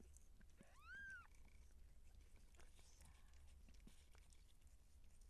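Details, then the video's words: Seal point Siamese cat in labour while her kittens are born; one short rising-then-falling meow lasting about half a second, over soft rustling and a steady low hum. "Cat Giving Birth Siamese SealPoint"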